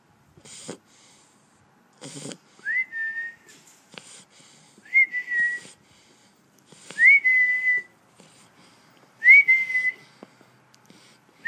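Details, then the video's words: Pet Shar Pei fast asleep, snoring indoors: each breath brings a thin whistled tone, steady then slightly falling, with soft breathy rasps between, repeating roughly every two seconds. "Shar pei snoring"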